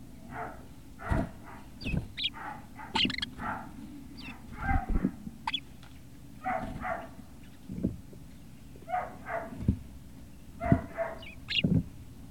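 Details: Great Dane puppies at Puppy Hill on 18 November 2018, around early afternoon, giving a busy stream of short high whines and yelps, several overlapping, with thuds and low rumbling background noise throughout.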